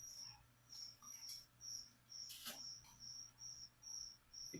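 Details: Feeder crickets kept for a pet leopard gecko indoors chirp in high, bright bursts about twice a second, each note a short pulsed chirp; one sharp rustling crackle of handling noise cuts through midway.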